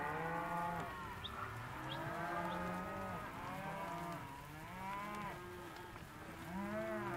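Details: Hereford and Careta calves of both sexes in a sale lot, heard at a lower level, giving many overlapping mooing calls, short arched bellows repeated roughly every second over a steady background rumble.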